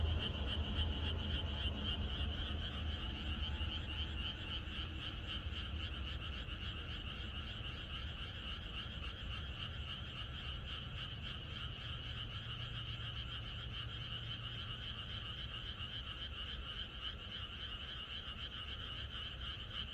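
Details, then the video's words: Frog chorus in the countryside on the night before rain, a dense continuous layer of rapid overlapping croaks and trills, steady throughout with low rumbling background. "개구리들의합창#비가 오려나?이것이 자연의 소리 ~개구리들의 합창"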